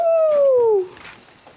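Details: Domestic goat, excited about its newly fitted collar, indoors: a single loud, nasal bleat sliding steadily downward in pitch for under a second, then fading into quiet room noise.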